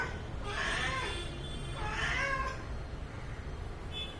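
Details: Domestic cat at home, during play and grooming, utters two drawn-out meows about a second apart, harmonic and slightly wavering, over a low steady background hum.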